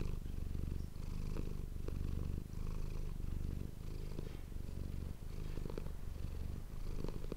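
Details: Close-miked purring of the house cat Manis, low and buzzy, pulsing in regular inhale-exhale cycles, with faint soft clicks over the rumble.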